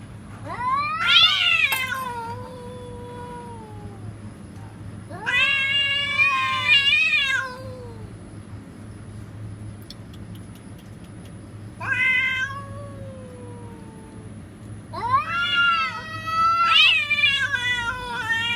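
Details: Real cats threatening one another with a series of four drawn-out, quavering caterwauls spaced a few seconds apart. Each swells and bends downward, with quiet gaps and a constant low hum between them.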